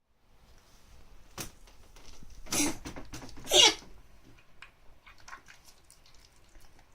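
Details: Shiba Inu dog sick with a cold, recorded 3 June 2015, coughing indoors: two harsh, explosive broadband coughs about one second apart, with softer huffs and snuffles before and after in a quiet room.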